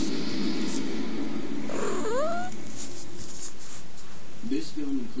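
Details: Unneutered kitten making funny noises: a quick upward-sweeping squeaky meow, then a lower, wavering mew near the end, against a constant hiss and low hum.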